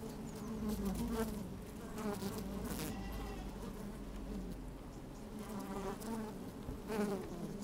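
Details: Inside an open beehive on a fine sunny day, honey bees moving about: a dense, even hum with wavering buzzy overtones that rise and fall, a few crackling brushes against the microphone.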